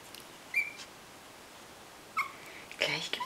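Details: Miniature Pinscher puppies from the Teufelseck litter playing in their box, giving brief high, thin whistled squeaks, one dipping downward, followed by a short burst of scuffling rattle.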